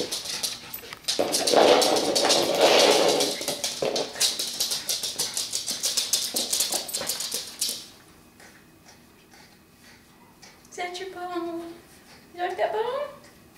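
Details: Pet dog named Frog, just given a big new bone indoors: fast crunching, clicking gnawing for about eight seconds, a quiet pause, then two short high whines that waver up and down in pitch.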